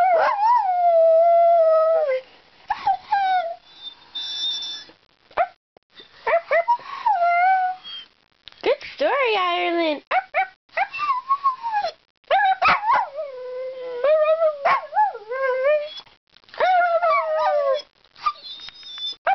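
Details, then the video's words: Ireland, a talkative dog, vocalizes in long harmonic howls and yodel-like whines, sliding up and down in pitch, broken into phrases with short pauses, sounding almost like singing or talking. "Ireland the Singing/Talking DOG"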